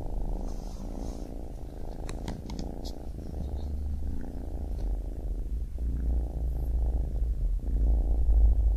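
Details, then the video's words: A baby kitten's purr: a low, rapidly pulsing rumble, very steady and slowly growing a little louder, with a few faint ticks early on. "Baby Kitten Purring"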